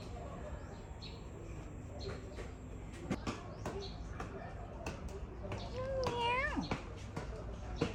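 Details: An unusually coloured cat at the 100-year-old Khlong Sip Song market in Lam Luk Ka, Pathum Thani, Thailand, filmed in January 2025, gives one drawn-out, rising then falling meow amid nearby human chatter and clattering.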